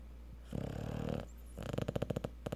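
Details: Sleeping Cocker Spaniel after a hard day at the park gives two rattling snores indoors, the first a steady buzzing rasp and the second breaking into a rapid string of throaty pulses.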